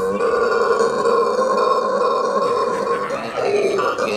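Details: Howler monkey in Aruba producing a sustained, deep, burping roar lasting about four seconds, steady and harmonic-rich with a slight rise near the end.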